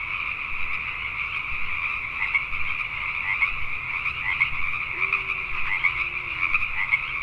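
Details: Pacific tree frogs calling at night in Richmond, British Columbia, Canada: a dense chorus of many overlapping rasping croaks forming a steady band, with a faint low tone gliding briefly midway.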